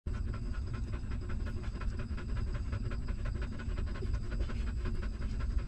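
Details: Hungry newborn puppy of a stray mother dog suckling milk, giving quick rhythmic smacking pulses several times a second over a steady low rumble.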